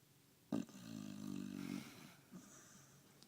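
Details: A dog snoring after a hard day of walking and eating: a soft bump, then a buzzy, low rasping snore lasting about a second, followed by a fainter breath in a quiet room.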